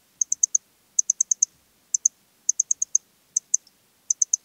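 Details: Eastern Stripe-headed Cricket singing in Puntigam, Austria, on 10 June 2022: high, clean chirps in short bursts of two to five pulses, the bursts coming about every half second, with silence between.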